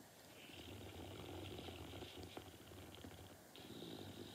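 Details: Norton the dog asleep, giving a steady low rumbling snore with a fine rapid flutter throughout, a faint hissy band riding above it.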